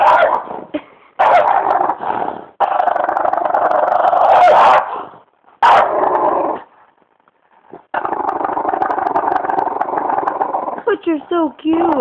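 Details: Beefy the French bulldog, called disturbed, gives long continuous throaty growls in several sustained stretches separated by brief silences, ending with a quick series of short yelping whines.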